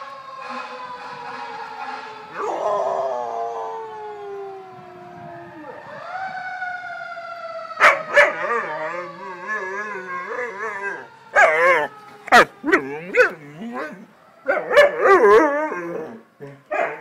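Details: Pet dog howling along with fire engine sirens: long wavering howls sliding downward, then a run of short yips and broken howl notes, with a siren tone audible early on.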